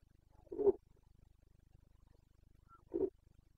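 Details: Carpathian red deer stag in rut, Bucovina, Romania, 29 September 2022: two brief, deep, gruff grunts about two seconds apart over a low mechanical hum.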